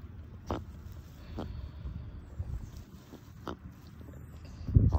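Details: Chihuahuas relaxing in the shade on an afternoon, happy and content: short nasal snorts burst out about four times, separated by a low, soft snuffling rumble, with a louder snort at the end.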